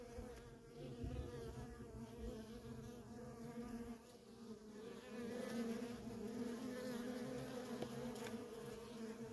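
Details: Feral colony of honey bees with workers in constant traffic: a buzzing hum that swells slightly louder after the midpoint, steady in pitch, with individual bees passing close.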